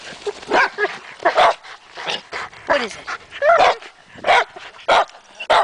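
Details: Dogs fixated on a tree along a trail, chipmunks presumed inside, bark irregularly, mixing short barks with higher whining yips and rising whimpers, spaced unevenly over a few seconds.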